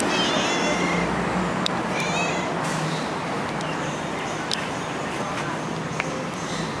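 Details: Playful stray cat happily following along outdoors, giving a few short, high mewing calls near the start and around two seconds in, over a constant roar of road traffic with occasional sharp clicks.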